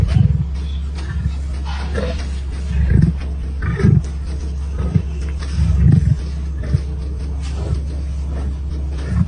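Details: A lion of the Plains Camp pride in Kruger, recorded on 30 June 2024, gives a series of deep, short grunting pulses, several clustered around the middle. A steady low engine hum runs underneath throughout.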